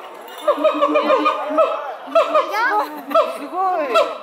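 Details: Three zoo siamangs at Chiba Zoo sing to each other in May, in the morning, with loud, swooping hoots and barks that rise and fall in quick, overlapping bursts.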